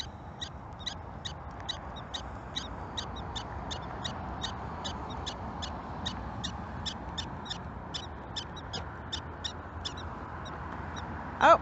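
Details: In a prairie dog village, a prairie dog gives rapid, high, chirping barks about twice a second, warning its family of a predator: an approaching person. It then ducks into its burrow.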